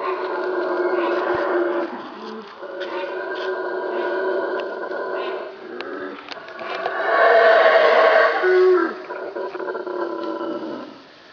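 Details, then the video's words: Two troops of wild black howler monkeys meeting at their territorial boundaries in rain forest by the Mayan ruins at Caracol, Belize: deep, continuous, droning roars with pulsing rhythm, swelling louder midway, several animals overlapping. "Howler monkeys at Caracol"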